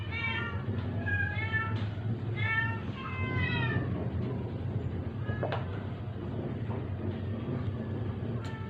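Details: Sick, dying stray cat being force-fed to survive, crying out during the struggle: a run of loud, harmonic, wavering meows over roughly four seconds, then a few fainter short cries, with a person talking in Tagalog and low background hum.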